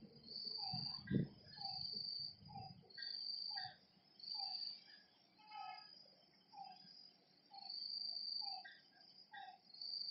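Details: Nighttime frog calls at a lake, as single short croaks spaced about a second apart, set against loud pulsing insect buzzes that switch on and off in bursts, with a low thump near the start.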